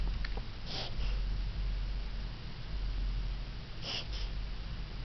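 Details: Borkie named Jack, a Yorkshire Terrier and Bichon mix, in a reverse-sneezing episode inside a small room: two clusters of rapid snorting gasps, each a double burst, separated by a few seconds of low background rumble.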